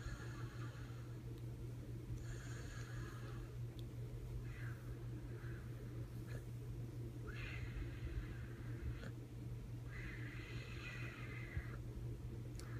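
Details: Bandit, a puppy, sleeping hard in a weird position indoors, snores in frog-like croaking snorts; raspy breathy bursts come roughly every two to three seconds over a steady low hum in a small room.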